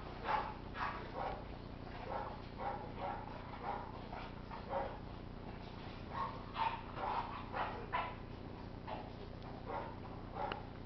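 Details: A French Bulldog barks repeatedly in short, clipped yaps spaced irregularly, roughly one or two per second, against a steady low background hum.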